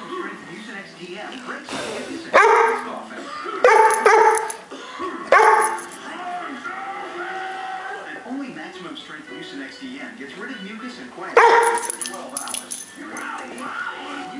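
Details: A female Weimaraner throws a tantrum over not getting her way, with loud, strained whining yowls and barks in separate bursts.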